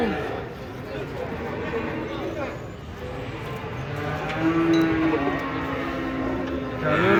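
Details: Cattle unloaded from a truck; after a few seconds of rumbling background noise, a single drawn-out, low, level moo rises above it, with fainter lowing behind.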